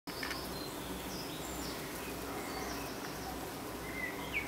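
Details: Honey bees fanning at the hive entrance in the evening: a steady, low droning hum with layered harmonic bands throughout, and scattered faint high bird chirps above it.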